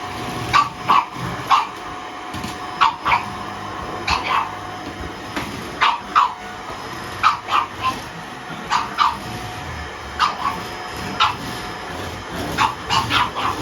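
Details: Pug puppy barking and growling threateningly at a vacuum cleaner indoors; short sharp yappy barks, often in pairs or threes, repeated every second or so over a steady background hum.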